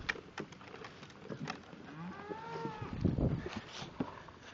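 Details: A cow on a farm in Ohio gives a deep, mellow moo that swells upward and sags away over about a second while cows are fed corn; feeding clatter, crunching and people talking fill the background.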